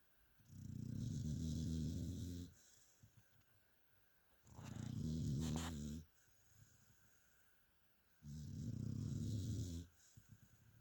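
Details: Sleeping dog Mia snores in three deep, raspy rumbles of roughly two seconds apiece, evenly spaced by quiet gaps, with a brief sharp click or snort in the middle of one breath.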